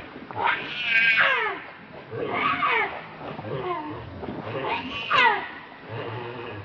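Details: A baby monkey, Leo or Rainbow, begs its mother for milk with drawn-out, wavering whines that slide downward, three main bouts separated by quieter breathing.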